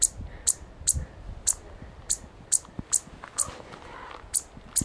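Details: A chipmunk by a Chief Mountain trail, Colorado, in mid-September, raises a racket of loud, sharp, very high chips, about two each second in a steady series, over faint wind rumble.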